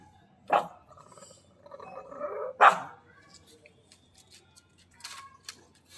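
A pug gives two sharp, short barks about two seconds apart, with faint voices between.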